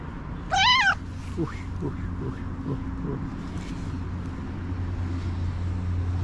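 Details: Hungry tuxedo cat, talkative and friendly, happy to see her owner: one loud, wavering, harmonic-rich meow near the start, followed by low engine hum and a person speaking softly.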